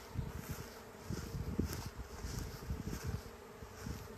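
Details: Huge honey bee swarm flying through the air toward a new home, queen leaving the hive with part of the colony; dense low droning hum with flickering wingbeat pulses, rising and falling in loudness.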